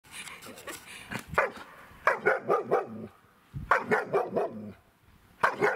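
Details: A one-year-old female German Shepherd in bark training gives nervous, deep machine-gun bursts of several quick barks with pauses between, then finally five single rhythmic barks and earns a ball reward; German Shepherd.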